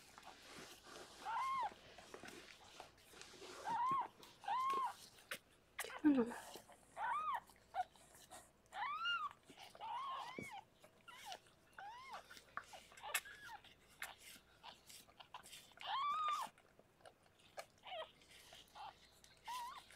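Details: Harlequin, a rescued pregnant cat in foster care, delivering six kittens in a small room; repeated arched mews, thin and tonal, sound every second or two with brief pauses, plus faint rustling and a low voice.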